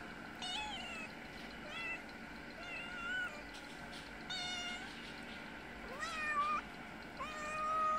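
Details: Mother cat with a little kitten, living outside and visiting twice a day for food, meows to ask for food: a series of rising-then-falling harmonic meows, roughly one per second, some short, some drawn out, over a steady background hum.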